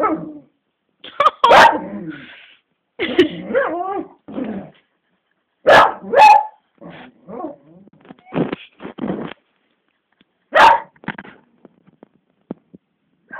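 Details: A pet beagle named Bella barks frantically at Cassie, an old black labrador unwilling to play. Phone recording with a rapid, irregular string of loud, sharp barks and yips broken by brief pauses over about thirteen seconds.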